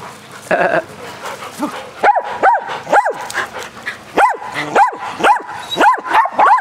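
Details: Dogs at play during an energetic game of fetch on a spring day, giving loud, evenly spaced barks roughly every half second after a quieter start with faint background noise.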